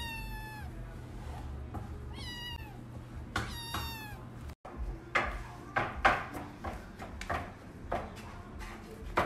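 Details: Kitten in the United States climbing and clinging to a man as he prepares a meal, giving several clear rising-falling meows in quick succession, then kitchen clatter and knocks while he speaks to it.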